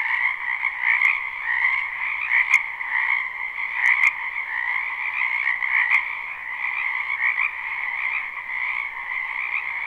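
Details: Croaking frogs fill a spring wetland behind a house in this live, unlooped recording. Overlapping rapid trills form a steady high drone, and a few sharp clicks sound near the start.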